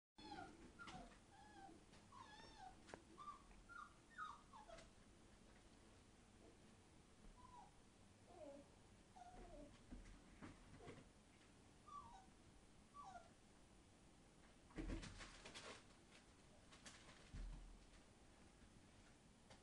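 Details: Entlebucher Mountain Dog puppies, 36 days old, from the Torheide D litter, kept in a pen beside a cow shed, giving many short high whimpers and squeaks, often falling in pitch, scattered through the recording, with occasional knocks and rustling.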